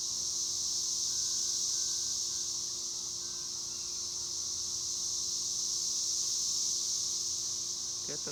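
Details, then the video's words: A chorus of cicadas sings in a continuous high-pitched buzzing hiss that swells slightly and fades again. A brief human voice is heard at the very end. "El sonido de las chicharras"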